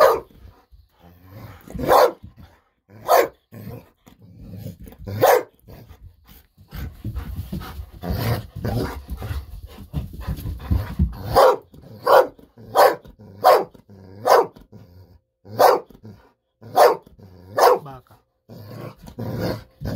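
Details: Impatient Golden Retriever Bis at home demanding a fish-sausage snack, excited and barking for nearly ten minutes. A few spaced barks, then low rumbling movement noise, then a fast run of loud, regular barks under a second apart.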